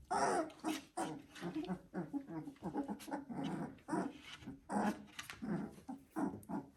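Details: Three-week-old Border Collie puppies, walking about, give a busy run of short squeaky whimpers, grunts and tiny growls.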